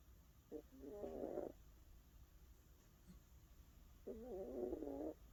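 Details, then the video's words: A 17-year-old Maltese snores softly while sleeping: two rattling, wavering breaths of about a second each, three seconds apart, over a low steady room hiss. "코골이 할머니 말티즈 17세"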